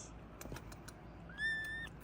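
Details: A two-week-old Maine Coon kitten from a litter in southeast Michigan gives a single thin, high mew, steady in pitch, after a few soft clicks.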